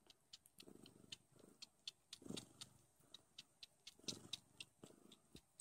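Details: Don Sphynx kittens nursing from their mother indoors: low rumbling purr bursts that swell and fade about once a second, over a steady run of sharp wet sucking clicks.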